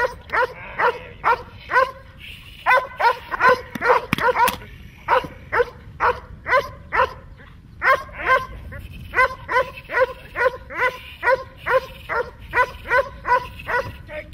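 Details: During protection training, a German Shepherd or Malinois type dog barks repeatedly and forcefully, about two barks per second, with a short burst of rapid overlapping barks and noise near the fourth second, then a steady rhythm again.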